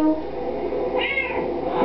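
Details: Pet cat singing along to Happy Birthday indoors: a single arched meow near the end of the song, set against music with brief tones at the start and closing notes.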